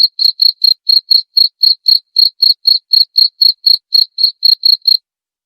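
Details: High-pitched cricket chirping, presented as a way to repel rats and as a lure sound: quick pulses at about four per second for five seconds, then silence. No other noises.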